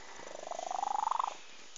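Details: A sleeping cat gives a single snore, a rapid vibrating rattle that swells and climbs in pitch for about a second before stopping abruptly, over quiet background hiss.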